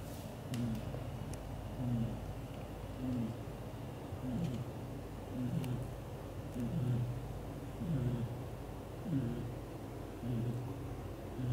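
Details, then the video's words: Leo, a black golden British Shorthair father cat, snores loudly while asleep, cuddling the mother cat Mimi and their kittens indoors. Low, rhythmic, throaty snores come about once every second or so, steady breaths with faint light clicks between them. "Daddy cat gently takes care mom cat and their kittens, hugs all to sleep and snoring loudly"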